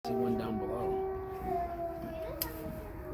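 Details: Several wolves howling together at Bay Beach Wildlife Sanctuary on 21 January 2023. Long steady tones at different pitches overlap into a layered chorus, with one brief sharp click near the end.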